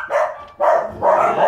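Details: Mastiff mix dog at La Linea shelter giving three loud, harsh barks about half a second apart, each a short broad burst with no other sounds between them.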